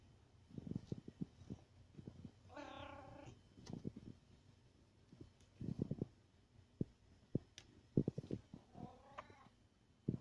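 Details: A domestic cat wanting attention lets out a drawn-out harmonic meow and, near the end, a second shorter rising-falling meow, amid frequent tapping and thumping noises in a small room.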